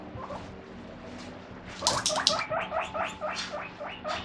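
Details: A pet guinea pig, coming out when the fridge door opens (the fridge holds its favourite vegetables), gives a rapid run of high, rising squeaks, begging for food.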